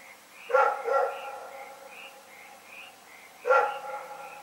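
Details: Rex the dog barks in the night in Pyrga, 27 February 2018. Two sharp double barks land three seconds apart, while frogs keep up a rhythmic, evenly spaced calling behind them.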